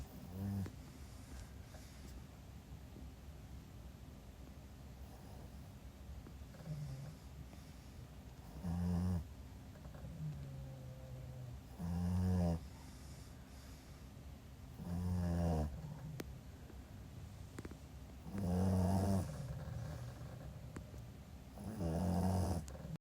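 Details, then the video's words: Asleep indoors, a Pekingese puppy gives deep, throaty snores, softer at first and then louder, coming roughly every three seconds, with a faint whistling breath in between. "ぺきにーず #puppy #いびき #イビキだけ"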